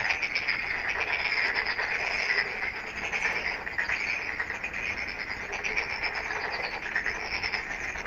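A dense night chorus of frogs: a steady, rasping trill of many overlapping high calls.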